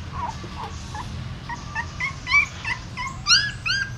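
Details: Newborn puppies moved by their mother in her mouth at a pagoda in Siem Reap, Cambodia; faint then louder thin squeaky whimpers, short rising cries coming about once per second over steady low background hum.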